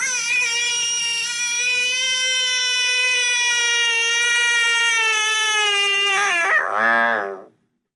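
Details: A Kentucky American bullfrog gives a long, loud, steady distress scream while being swallowed by a water snake, holding its mouth open, a call that may attract predators so the snake lets go. Finding: American bullfrog.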